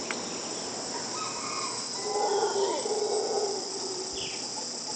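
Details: Two howler monkeys at dawn, around 5am, in Nosara, Costa Rica, April 2011, at Blue Spirit Retreat: a low, drawn-out roaring howl swells midway for about a second and a half over steady insect buzz and a few brief bird notes.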